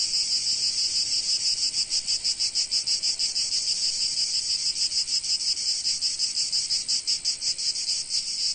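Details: A loud insect drone of cicadas in sunny Provence, shrill buzzing pulsed around three times a second, rhythm slightly uneven, nothing else audible.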